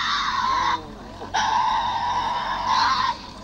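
Tasmanian devil giving harsh, raspy screeches: a short scream, a brief pause, then a longer drawn-out one, loud and grating throughout.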